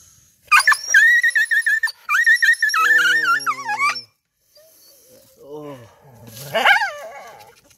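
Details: Injured dog crying in pain: a run of high, clipped yelps then longer wavering whines sliding downward, with a deeper drawn-out moan in between; a man's voice speaks near the end.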